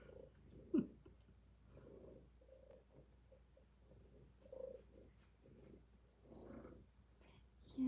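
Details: Purring from one of the kittens in a kitten cuddle room, possibly Rob, Faye, Fig or Fiona, indoors during a live stream: a low rumbling purr swelling and fading in breath-length bursts, with a brief sharp sound and faint human voice.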